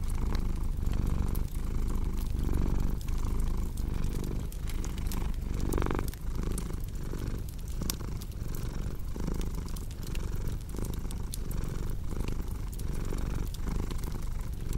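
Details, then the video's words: Cat purring beside a crackling fireplace, a deep steady rumble that swells and eases in slow breathing cycles, with frequent sharp wood pops and snaps over it. "Purring Cat with Cozy Crackling Fireplace Sound"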